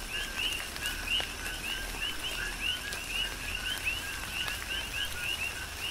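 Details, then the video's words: Coqui frogs in a tropical rain shower on Hawaii's Big Island: clear, rapid upward-sweeping chirps preceded by lower notes, repeated many times within seconds by overlapping callers, backed by soft rain patter. "Tropical Rain & Coqui"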